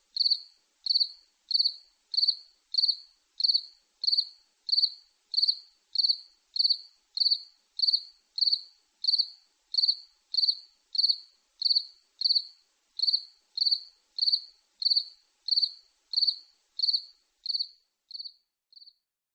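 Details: A long run of about thirty bright, high-pitched cricket chirps at a regular pace, the last few growing quieter and shorter as the sequence fades out.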